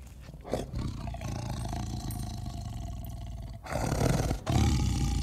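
A tiger roars in deep, rumbling bursts, with a brief pause before a louder final roar.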